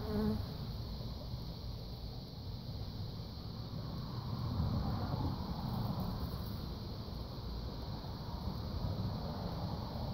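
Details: Western honey bees gathering pollen from a lemon tree fill the air with a low, steady droning hum, rising and fading as they pass.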